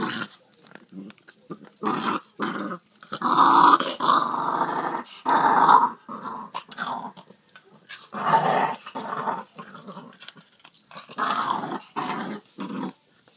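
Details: Puppy growling indoors over a pork trotter (jokbal): rough, rumbling growls in bursts of one to two seconds with short pauses, swelling louder and fading repeatedly; a person says "come here" nearby.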